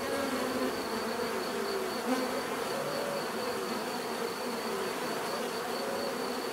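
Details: Continuous drone of many bees, a thick humming wash with wavering mid-pitched tones rising and falling slightly as individuals pass; a soft high pulsing note repeats steadily behind it.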